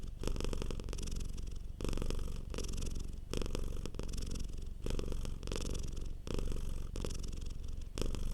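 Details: Domestic cat purring softly while relaxed indoors: a continuous low rumbling purr with broadband pulses, swelling in bursts roughly every one and a half seconds as the cat breathes in and out.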